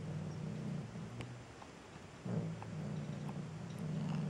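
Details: Striped female cat, described as angry and depressed, purrs close up while a song she dislikes plays near her ear; deep pulsing rumble with a short quieter pause, then a louder, steady purr.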